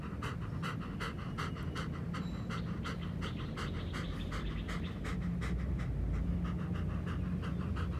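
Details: Nana, a three-legged German Shepherd, is in good form today and running on a walk. Rapid, steady panting breaths repeat close to three times a second as broadband bursts over a low rumble of movement.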